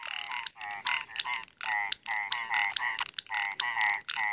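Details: Frogs gathered in small puddles beside a house after heavy early-afternoon rain, several kinds together, call in rapid, harsh, pulsed croaks repeated in quick bursts.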